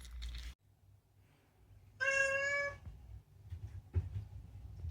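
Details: Talkative rescued male cat Unagi, whose meows are mostly about food, gives one drawn-out, steady meow lasting under a second, with soft rustles before and a light tap after in a quiet room.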